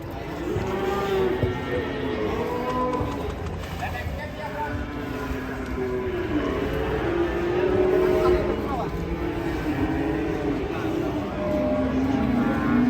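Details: Rampaging cattle restrained with a long rope give drawn-out, low harmonic moos that repeat throughout. People talk and shout over them, and a vehicle is audible in the background.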